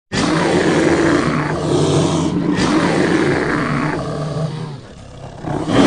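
A bear growls in long, deep, rumbling bursts with a rough, throaty edge.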